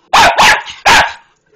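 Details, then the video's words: Patterdale Terrier giving three sharp, loud barks in quick succession, the first two nearly joined, the third after a short gap. "LOTTIE LULU HAVING A BARK WOOF WOOF"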